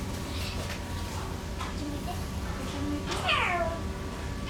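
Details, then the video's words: Eurasian lynx in a pair at Oji Zoo, calling on 29 February 2024 around midday; one drawn-out, meow-like cry slides downward near the end, over steady low background hum and faint human voices. "ヨーロッパオオヤマネコ アル・ベル（アルの鳴き声）"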